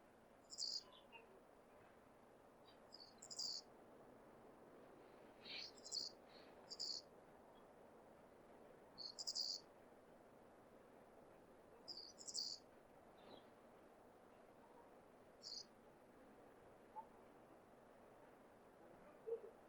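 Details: Hokkaido flying squirrel, a wild male calling to attract a female in breeding season: irregular volleys of thin, high squeaky chirps, mostly paired notes, spaced a few seconds apart over a steady faint hiss.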